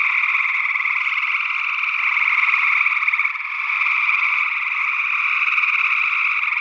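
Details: Early June 2022 night chorus of gray tree frogs in Northwest Wisconsin, captured with a stereo ORTF pair of small condenser microphones. Unbroken, overlapping trilling from many frogs, swelling slightly midway, with a second unidentified frog species possibly present.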